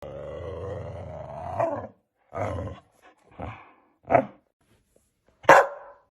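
A Siberian Husky gives a long, wavering groan followed by several short, throaty woo-like bursts.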